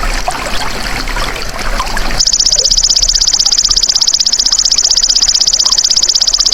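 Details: Two seconds of trickling, rustling natural background, then a golden grasshopper starts a sustained, bright, finely pulsed buzz that holds steady without a break for the remaining four seconds.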